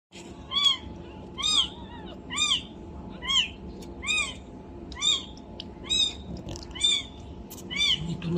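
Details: Two-day-old domestic kitten giving a steady series of thin, high, arched mews, about nine in eight seconds, each rising then falling, against a faint steady hum.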